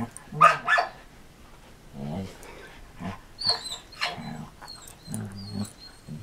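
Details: Two dogs, Marco Polo, a six-year-old Samoyed recovering from back surgery, and Cisco, a Border Collie, playing together in 2014: sharp bark bursts early on, then low rumbling play growls repeated through the clip, with thin high chirps in the background.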